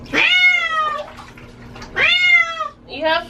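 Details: Domestic female cat being bathed indoors, which she hates; two long, loud, harmonic meows that rise then fall, followed by a shorter third cry, with a faint steady hum beneath.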